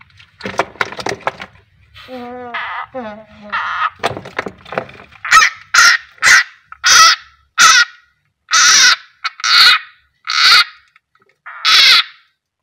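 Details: Frog screaming as a keeled rat snake (Ptyas carinata), called king koros, eats it at feeding time; a person talks first, then about nine harsh, broadband screams follow, each roughly half a second long, repeated about once a second.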